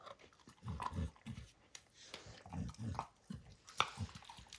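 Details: Max the dog gnaws apart the leather cover of a baseball, giving deep, thudding bites in short bursts about every half second, with a few sharper crackles of torn hide between them.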